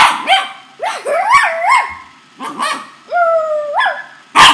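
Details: Feisty corgi named Napolean barking during play, a string of drawn-out yodelling barks that rise, hold level and drop, ending with a short harsh bark.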